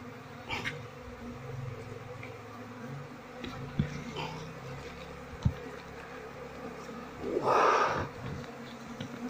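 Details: Asian honey bees of a queenless colony, combs packed with honey but lacking larvae. A soft steady hum underlies occasional knocks and a loud rustling burst near the end as the nest is handled.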